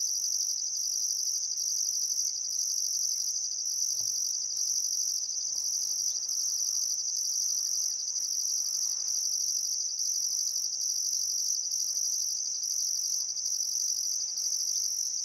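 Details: Crickets chirping on a still summer afternoon at sunset beside the Barcoo River, Welford National Park, Outback Queensland, Australia: a dense, steady high-pitched trill with a second pulsed band above, unbroken throughout, with faint bird notes in the background.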